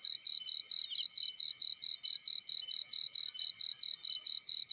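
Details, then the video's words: Field cricket chirping: loud, evenly spaced high-pitched pulses, roughly four per second, forming a continuous ringing rhythm over a quiet background. "Warm Relaxing Fireplace In Field || Burning with Cricket Sounds"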